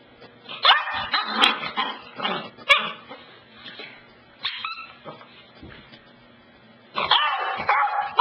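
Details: Dog Cassidy barking excitedly at a couch, a quick irregular string of yipping barks, a lull of softer grumbling, then a fresh burst of high-pitched barking with whiny tones.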